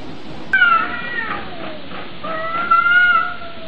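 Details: Domestic cats in a fight: two drawn-out, wavering yowls, the first breaking in sharply then sliding slowly downward, the second rising and holding steady, with a low rumbling background throughout.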